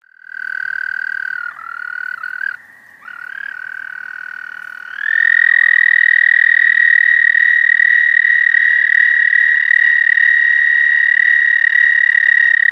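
An American toad gives its long, steady, musical trill, a mating call to attract females.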